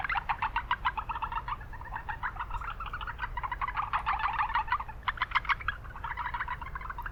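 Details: In a noisy urban wetland, Japanese brown frogs give fast runs of soft clucking pulses that overlap into a continuous chorus, with brief lulls, against constant low background hum from the city.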